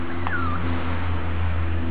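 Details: One thin, descending whine from a piebald, ticked Mini-Dachshund puppy born July 18, 2012 and filmed August 26, 2012, sliding down and fading over a constant low electrical hum.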